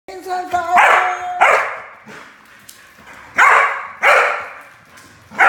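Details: Bodhi, a male Keeshond, expresses joy after playing in his kiddie pool: a tonal, harmonic whine with wavering pitch, followed by four loud, hoarse barks spaced irregularly over the next few seconds.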